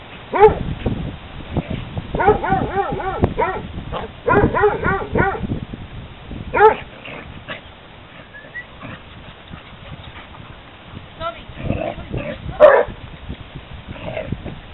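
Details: Hounds playing at a dog park: bursts of loud, harmonic barks and yelps, several in quick runs near the start and mid-clip, with scattered quieter barks and background chatter between.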